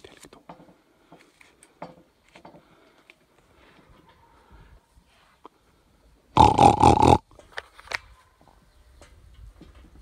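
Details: Wild boar met suddenly at dawn, 4:54 a.m. on 26 July 2021, in mountain-foot meadows of Pobergje village near Deçan; one loud, harsh, rasping grunt-burst lasting about a second breaks otherwise quiet rustling and faint clicks.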